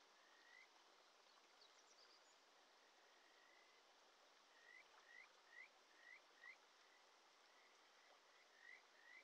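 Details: Kajika frog (Buergeria buergeri) sings sweet, rising whistled notes in quick series over a rushing Shin'etsu mountain stream in early July.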